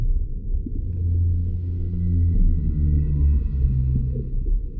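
Humpback whale song: deep, drawn-out moans that slowly shift in pitch over a low underwater rumble.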